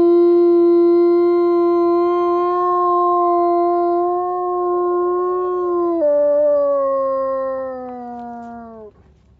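A timber wolf gives one long, steady howl that drops in pitch and slides lower before fading.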